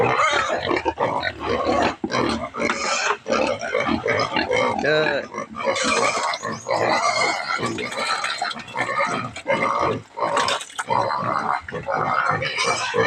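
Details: Native pigs at feeding time, squealing and grunting in loud, harsh, overlapping bursts almost without pause, with a man talking over the din.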